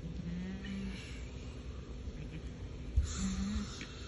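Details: Mashariq goats, eight adults with twelve young, at Al-Summan: two low, steady bleats, one lasting almost a second near the start and a shorter one toward the end, over quiet background rustle.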